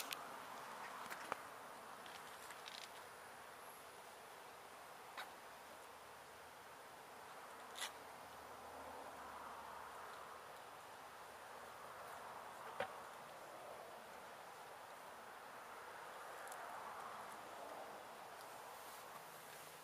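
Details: Gentle honey bee colony, settled in a house wall for at least one season, being removed from a window in Edinburg, Texas; steady, diffuse buzzing hum throughout, with occasional sharp clicks and taps from the work.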